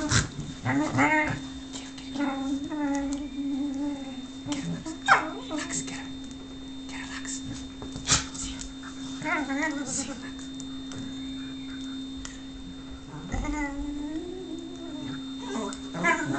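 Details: Whippet Lux whines, wanting affection from Sophia, who is playing hard to get. Short wavering whimpers come in bursts over sixteen seconds amid human speech and a constant low hum.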